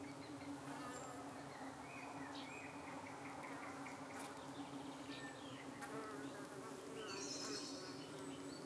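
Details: Evening at a hive in the UK, honey bees under attack by possibly parasitic flies: an unbroken, even, low-pitched drone, with brief faint whistles and clicks scattered over it.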